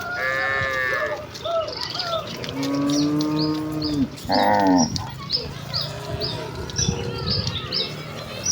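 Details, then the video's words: Village cattle herd running joyfully toward the pen: several drawn-out, harmonic moos overlapping, some rising then falling, with short high bird chirps repeating throughout the background. "Kawanan sapi lembu yang berlarian menuju kandang dengan kegiranganan dengan suara moo khas sapi desa"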